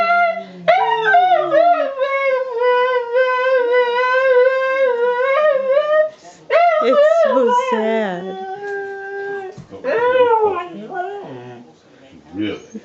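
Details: A 13-year-old female Siberian Husky, prompted by her owner to "speak", howls in long, wavering, sung tones and breaks into yodelling, talk-like yowls.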